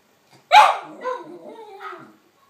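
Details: Snowy, a female West Highland White Terrier, barks at a recording of her own voice: one loud, sharp bark followed by softer descending whine-like yelps, clean and close with no other sounds.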